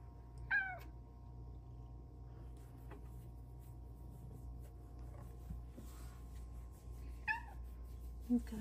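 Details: A female Bengal cat on her petting shelf chats with her owner in a few short, bright, friendly meows that bend in pitch, spaced several seconds apart.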